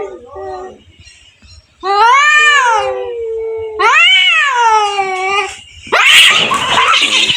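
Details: Fight between two cats: two long quavering yowls joined by a low growl, ending in a harsh explosive hiss-scream burst.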